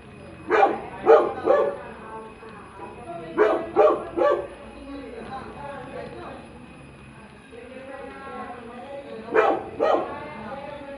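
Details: Young Labrador retriever puppy, newly brought home, giving short clipped barks in bursts of two or three, separated by quieter gaps with soft whines and low background hum.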